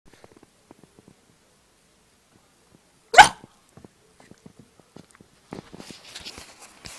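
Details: Puppy making a funny noise: one sudden, sharp, hiccup-like yelp bursts out midway through otherwise quiet surroundings, bracketed by soft scattered clicks and, toward the end, light rustling and shuffling.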